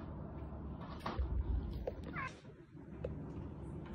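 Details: Rescued kitten crying, one of several young kittens found in a dark sewer or in the bushes after a fall or after crying for hours; a few brief rising meows over a low rumbling background with handling noises.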